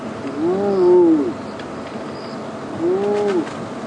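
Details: A spotted hyena (Crocuta crocuta) at Djuma Game Reserve, South Africa, on an evening drive on 26 January 2016 gives two soft, hollow whoops, each swelling then sliding down, about two seconds apart, over faint bush background.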